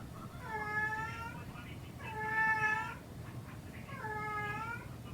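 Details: Indoor domestic cat, a household's second cat that cries excessively and only in a certain spot, giving a dissatisfied, anxious cry: three drawn-out, harmonic meows about a second long, spaced roughly 1.7 seconds apart, over a steady low hum.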